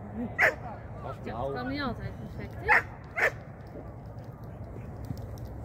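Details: Shetland Sheepdog during a first training lesson in 2023 gives three sharp, isolated barks spaced irregularly. A person speaks briefly between the first and second barks, with a low, steady background hum.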